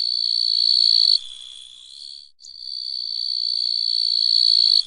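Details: Small grasshoppers giving a continuous, high, buzzy trill that holds steady, fades to a softer, wavering hum partway through, breaks off briefly, then swells back to full strength until the end.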